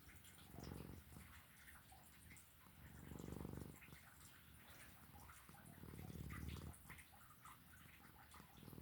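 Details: Sleeping domestic cat snoring; low rumbling snores swell and fade roughly every two and a half seconds, each lasting about a second, with faint clicks and room noise between breaths.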